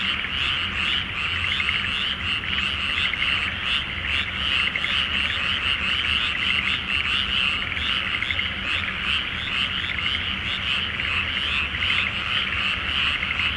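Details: Many frogs call together at night from a flooded paddy awaiting rice planting, full moon reflected on the water in Japan; rapid, overlapping rattling croaks pulse without pause, a low rumble underneath.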